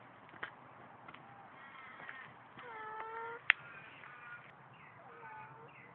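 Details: Pet cat named Baba, said to love water and to sing, recorded on a Samsung Galaxy phone; a run of fairly soft, drawn-out meows, some level and some gently falling, against a faint room background.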